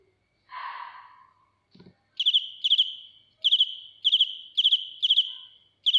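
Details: After an initial rustle and a click, a close cricket starts chirping loudly, high pulsed chirps of three or four notes repeated about twice each second.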